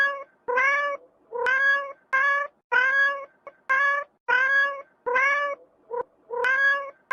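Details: Cat meowing: about ten drawn-out, tonal meows in seven seconds, each roughly half a second long, with a slight rise and fall in pitch and brief gaps between them.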